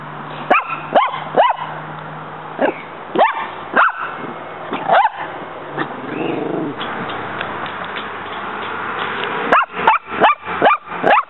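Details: Muñeca, a female pet dog, barks at a praying mantis in a backyard as it fights back. Sharp barks come in irregular bursts, a dense run near the end, with a brief strained whine in the middle.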